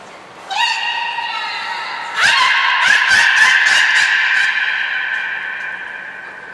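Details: Nana the beluga in training at Port of Nagoya Public Aquarium on 13 April 2019: a rising harmonic squeal that levels into a sustained tone, then a rapid stutter of pulsed, buzzy clicks over a held note.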